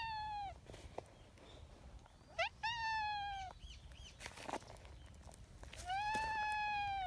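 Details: Husky-voiced tabby street cat, a community cat, begging for attention on a bench. It gives a short meow, then a quick rising chirp into a long level meow, and a last sustained hoarse meow, with faint clicks and outdoor background noise.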